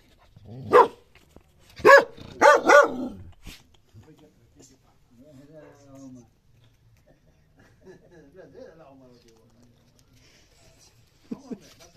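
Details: A dog at a mirror lets out a burst of four loud barks in about two seconds, then falls quiet while a person speaks softly; a final short bark comes near the end.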